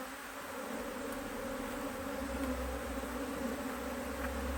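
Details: Honey bees at a Hive IQ beehive in Australia, almost mid-autumn 2023, in fine weather, as the hive is opened to add a box of empty frames; a steady low droning hum with a strong overtone, continuous throughout.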